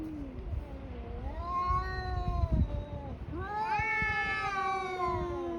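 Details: Fighting tabby cats trade long, rich caterwauls: one yowl rises and bends downward, a thud-like knock sounds midway, then a second strained wail climbs high and holds as a tense, sustained howl amid faint low background noise.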